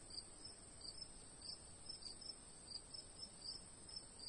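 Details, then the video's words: Crickets sing in the afternoon in a steady, shrill high trill, with quick chirps pulsing over it. "Afternoon Crickets Long Sound Effects -youtube sound effects library"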